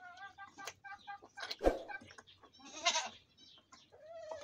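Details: Goats drinking milk, bleating in short wavering harmonic calls near the start and again at the end, with loud slurping and knocking noises from feeding in between.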